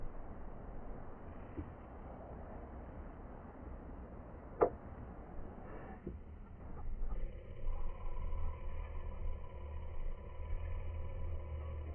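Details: Low roadside rumble with a sharp click and a passing vehicle hum, with no animal sound heard.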